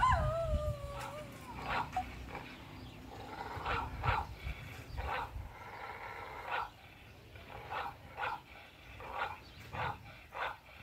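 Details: German Shepherd Zara, a black-saddled dog, barking in reaction to played recordings of dogs barking and howling; short muffled barks repeat roughly once a second, opening with a sliding whine, quiet background.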